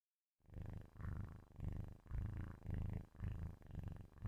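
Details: Sleeping kitten purring loudly close to a microphone: a deep, rumbling low purr in steady swells, each breath cycle about half a second long, after a brief silent start.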